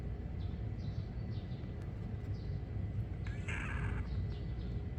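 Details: Mackerel tabby-and-white kitten calling: a few faint, high, short chirping mews early on, then one louder, brighter meow past the midpoint, over a steady low rumble.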